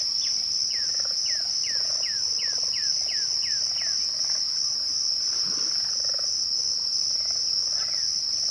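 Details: Crickets at twilight: a steady, unbroken high-pitched trill runs throughout, with a quick series of about ten descending whistled swoops from another caller early on and softer ones later.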